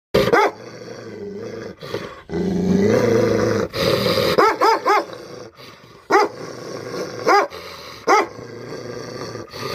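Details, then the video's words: Tibetan Mastiff during attack training in the Himalayas, giving deep barks in short bursts, some doubled and tripled, with a growling stretch between them and a brief rising whine. "Himalayan ship dog training of attacking | Tibet Mastiff"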